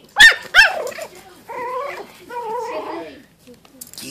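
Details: Teacup Yorkshire Terrier puppy, a five-week-old female recorded in 2014, yapping at her reflection on a phone screen: two quick high barks in the first second, followed by a woman's voice urging her on.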